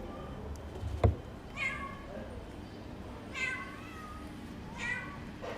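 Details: Abandoned stray kitten, left for two days in the snow at -11°C and then rescued, gives soft, thin meows three times about every one and a half seconds. A low background rumble and one sharp knock sound early on.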